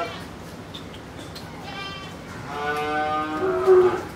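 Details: Pakistani Sahiwal bull, about 24 months old with two teeth, offered for sale in Pabna, Bangladesh, ahead of Qurbani 2022; after faint background noises a drawn-out, rich harmonic moo swells over the last one and a half seconds.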